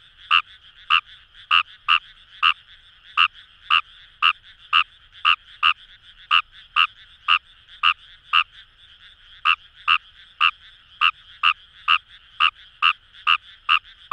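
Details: Fejervarya kawamurai (Japanese rice frog) calling in paddy fields along the Kamo River, Itoshima, Fukuoka, Japan: loud, short clicking croaks repeated about two per second in a fast, slightly uneven train, with a softer chorus of frogs humming behind.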